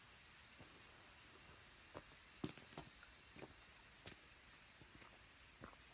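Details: Mountain temple cicadas at Kabusanji, Takatsuki, Japan, late in summer, where minmin and tsukutsukuboshi cicadas call: an intense, even, high sizzling drone fills the air, punctuated by a few sharp taps and rustling steps.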